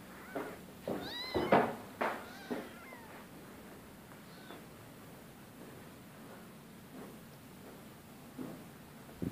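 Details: Rescue cat from 2015 meowing: a quick run of harmonic, rising-then-falling meows packed into the first three seconds, followed by quieter background with faint scattered sounds and a short call near the end.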